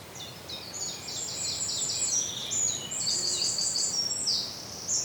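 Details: Indian flying fox feeding on Ashoka seeds in Pune, Maharashtra; dense, high-pitched squeaky chattering of sharp repeated notes mixed with thin sustained whistled squeals, continuous and overlapping.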